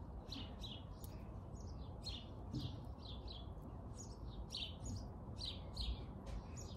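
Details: Squirrel named Jimmy giving a series of short, bright chirps that slide downward, repeated in uneven bursts about every half second, over a steady low rumble of background noise.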